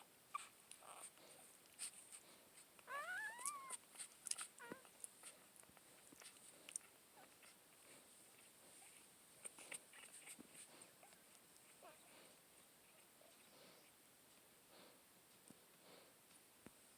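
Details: One-day-old puppy sleeping in its mother's arms, giving a few thin, rising whimpers early on, then soft scattered snuffles and faint squeaks over quiet indoor background hiss.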